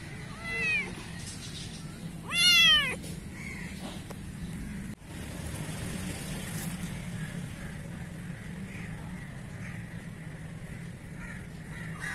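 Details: Black kitten in Pakistan meowing twice, a short faint mew followed by a louder arching high meow, then steady background noise with no further calls.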